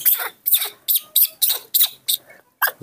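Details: A baby monkey cared for at home throws an impatient morning tantrum while waiting for its milk, giving harsh, screechy bursts repeated about every half second; a woman speaks Indonesian softly nearby.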